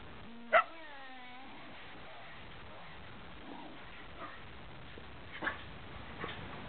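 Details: During wild play between two grown Shetland Sheepdogs, one long yelping whine slides gently downward for about a second. Faint scuffling and a few soft distant yips follow.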